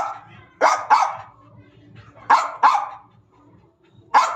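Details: German Spitz barking in anger: five sharp, harsh barks, arriving as two quick pairs and then a single bark, with short pauses and faint background noise between.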